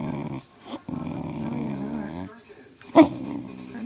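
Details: A pet dog vocalizing while it wants something indoors: a long drawn, wavering moaning sound held for over a second, then a short sharp yelp, with a person speaking nearby in a small room.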